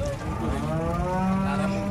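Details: Giant cattle coming off a truck at Jelok market in Indonesia; one sustained, low, droning moo fills the whole stretch, slightly rising toward the end, over a busy market background.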